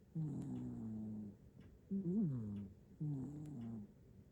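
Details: Domestic black-and-white cat sound asleep and snoring in Japan, recorded on an iPhone 15 Pro Max: three drawn-out, low, buzzy rasping breaths with a gentle pitch bend, each about a second long with quiet pauses between.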